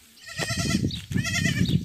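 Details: Bottle-fed goat kids rejected by their mothers; two wavering bleats over steady low rumbling and handling noise.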